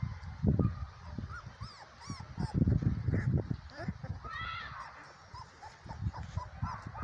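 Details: Dark sable German Shepherd puppies, three weeks old: thin, high squeaks and whimpers that arch up and down, scattered and overlapping through the recording, over heavy low bumping and rustling noise.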